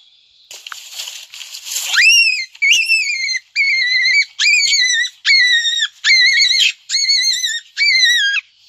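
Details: Startled big adult black rabbit in a garden gives a series of piercing squeals: some two seconds of breathy rustle, then about eight loud, evenly spaced shrieks, each steady and high before dropping at its close.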